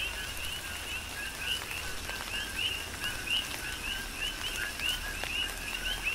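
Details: Coquis in a rain shower on the Big Island, Hawaii. Several frogs trade two-note calls, a short low tone followed by a rising whistle, with a few louder nearby calls standing out against constant rainfall.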